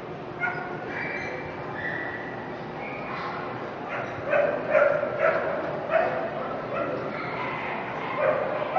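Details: Toy Fox Terrier at the Brandon dog show, toy group final, day three. A cluster of short yapping barks breaks out midway through over steady crowd chatter and hall noise, quieter stretches before and after.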